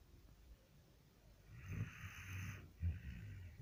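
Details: A dog snores in its sleep, one long harsh rasping inhale followed by a shorter rumbling breath, deep and throaty with a hissy upper edge.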